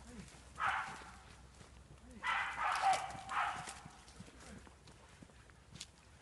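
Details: Jagdterrier in a wild boar enclosure during training, giving one bark followed by a close pair of rough, broadband barks about a second apart, moderately distant, with soft rustling and movement noise between them.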